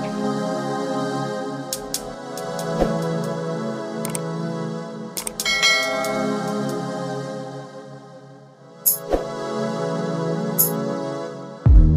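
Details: Soft ambient new-age music with sustained keyboard tones, bell-like chimes and a few sharp ticks; no animal sounds.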